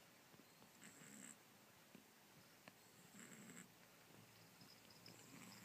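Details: Kitten with a nose blocked by a cold, snoring while asleep: soft, breathy rasping bursts roughly every two seconds, each with a faint low rumble and a hiss, in a quiet room.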